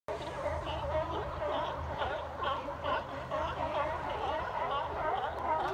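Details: A crowd of sea lions at Fisherman's Wharf barks over and over, harsh, honking calls overlapping into a steady chorus.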